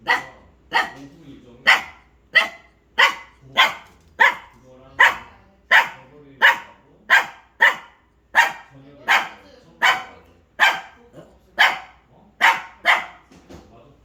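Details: Pet dog barking at something: a long run of sharp, loud barks, roughly twenty in fourteen seconds, steady and insistent, with short gaps between.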